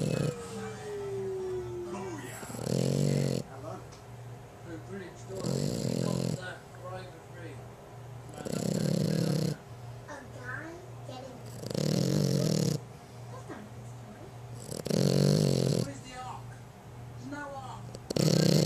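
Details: A young female French Bulldog snores loudly, each rasping, rumbling breath coming roughly every three seconds.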